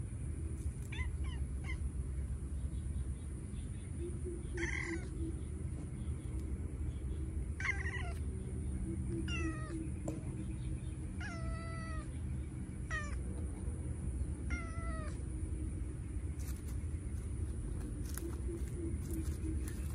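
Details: Two cats playing with a toy in a garden; a series of short, clear meows at irregular intervals of one to two seconds, with a constant high-pitched whine and low background hum.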